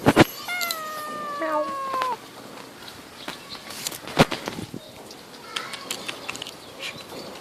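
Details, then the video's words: Cat sitting on a tree branch, aggravated when its paws are touched; a long, drawn-out harmonic meow sliding slightly downward over about two seconds, followed by sharp clicks, rustles and a faint later meow. "CUTE CAT!!"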